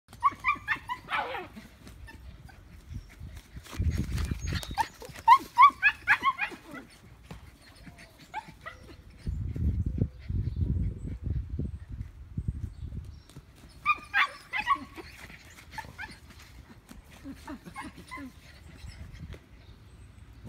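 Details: German Shepherd puppies playing and chasing their brother: high, squeaky yelps and whines in scattered bursts, with bumps and low thuds of the romp and a little human speech.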